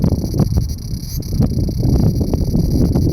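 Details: Large brown cicada singing while hiding under a loquat branch: a steady, sizzling high drone held without a break, over heavy low rumbling noise.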